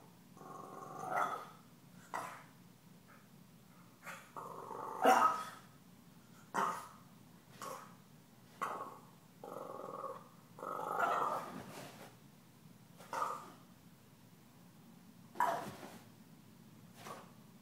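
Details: Taunted by Gomez, a deaf cat, puppy Stella mixes rumbling growls with abrupt barks. Around a dozen bursts come irregularly, some drawn into whiny growl-barks.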